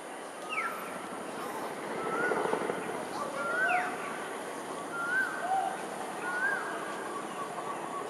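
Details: Wild, nomadic smooth-coated otters in suburban south west Singapore, 1 February 2023 at 5.38pm: short whistled chirps, some sliding up and others dipping, repeat every second or so over a steady background hum.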